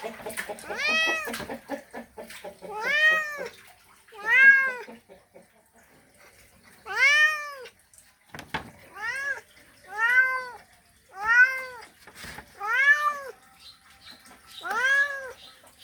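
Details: Male cat mating call aimed at a female: a steady run of about ten arched, plaintive meows, each under a second, following one another quickly, with soft murmuring and light clattering underneath.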